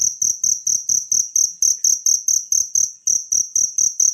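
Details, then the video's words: Natural cricket call used as a tutor sound for training caged songbirds. Short, shrill pulses repeat evenly, roughly four per second, each with a sharp start and a quick fade. "suara jangkrik alam"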